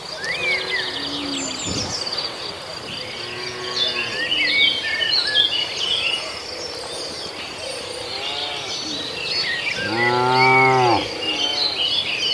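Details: A herd of tame cattle roaming a field on the way to their pen, grazing grass; one deep, harmonically rich moo rises near the end, under a constant chorus of chirping and trilling birds and insects.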